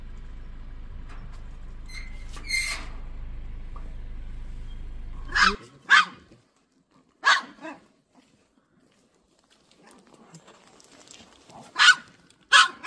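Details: Pet dog reacting to an unleashed golden retriever walking past in front of its home: a low engine-like rumble fills the first five seconds, then sharp barks come singly and in pairs with quiet gaps between.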